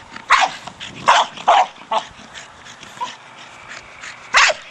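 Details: Staffordshire Bull Terrier Brogan, aged four, barking while playing with his hard plastic ball: a quick run of three or four sharp barks early, a softer bark midway, then one more loud bark near the end.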